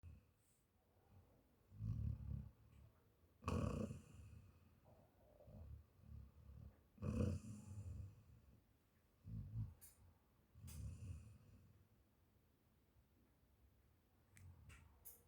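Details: Sleeping dog snoring softly: low, rough breaths come in uneven bursts every few seconds, with a few sharp clicks between them in a quiet room.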